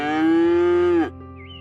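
A cow gives one long, steady moo lasting about a second, then drops away abruptly, with faint background music after it.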